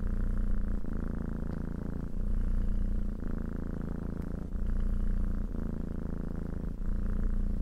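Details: Continuous deep purring from a cat, a rhythmic low buzz breaking into alternating in-and-out breath cycles roughly every second.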